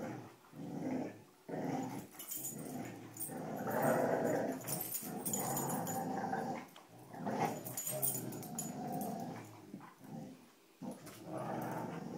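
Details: Indoor tug-of-war with a rope among the dogs Cujo, Kali and Lilly: continuous rough, throaty growling in rapid uneven pulses, rising and falling in loudness, with brief gaps and rustling.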